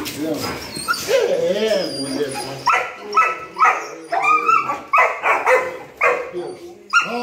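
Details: Rottweilers greeting their owners after two days apart; excited, high-pitched whines and yelps in quick succession, about two a second, through the second half. An excited human voice speaks over the first seconds.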